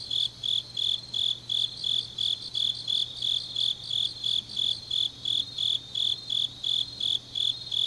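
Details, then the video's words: Autumn night chorus of grass insects recorded in Changnyeong, South Korea; one dominant caller gives shrill, evenly spaced pulses near three per second over a softer high shimmer of other insects and a faint low hum. "깊은밤 가을 풀벌레 소리"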